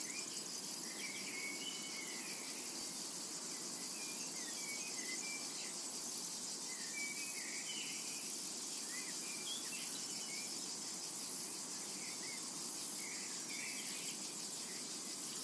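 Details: Cicadas in a summer meadow: an unbroken, shrill high-pitched hiss that holds steady throughout, with scattered faint short bird chirps in the middle range.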